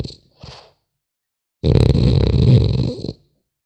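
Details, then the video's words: Sleeping French Bulldog puppy snoring: two faint short breaths, then one long rough, rattling snore of about a second and a half, deep and buzzy, in a quiet room. "Храп щенка французского бульдога"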